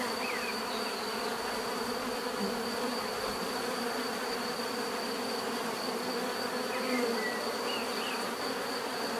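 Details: Swarm-like bee buzzing forms a constant droning hum across the whole stretch, while small birds chirp faintly in the distance.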